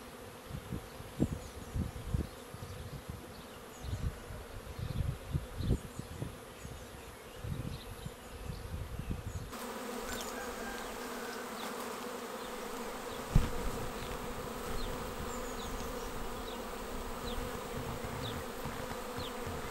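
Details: Honeybee swarm arriving at a swarm trap and going straight into the box, 19 May 2021; a constant buzzing drone from many bees, rough bumping gusts in the first half, scattered bird chirps high above.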